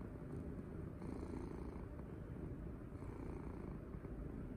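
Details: Domestic cat enjoying being stroked and cuddled, giving a steady, deep, throbbing purr for the whole stretch, with soft rustles of petting audible around one and three seconds in.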